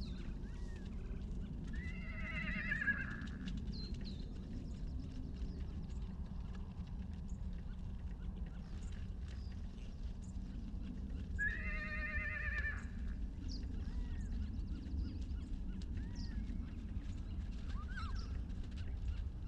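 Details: Baby horse among the wild herd at the Salt River, Arizona, separated from his mother, taped with a long-range microphone: two shaky, vibrating whinnies about ten seconds apart, with a few faint softer calls between, over low steady background rumble.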